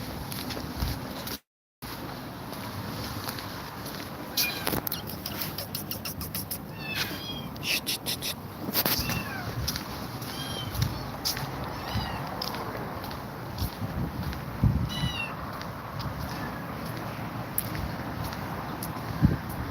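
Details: Grumpy Cat, frightened by two mother cats, gives short, faint, high meow-like cries scattered through the recording over a constant broadband background hiss with occasional thumps and handling noise.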